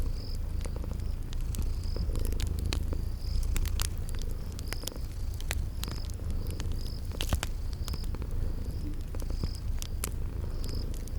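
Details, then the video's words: Sleeping kitties purring beside a crackling fireplace in a spring garden ambience: a steady low rumbling purr throughout, sharp fire crackles and pops, and short high chirps repeating about every second. "Relax with Cute Sleeping Purring Kitties by a Crackling Fireplace"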